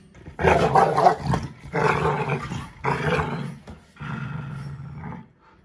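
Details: A five-month-old American Bully puppy and a five-year-old AmStaff play as equals, the puppy taking the toy: loud, roaring growls in three strong bouts, then a softer, steadier fourth growl that fades out.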